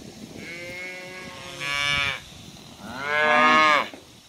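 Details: Cows and calves on their way to green summer pasture; two bright, rising-then-falling moos, the second louder and higher, with low herd rumble beneath.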